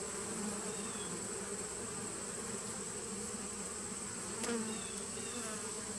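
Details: Honey bees of a 2017 nuc colony, recorded 19 September 2018: a steady, dense colony hum with low droning bands, a thin constant high whine above, and a brief louder swell near the end.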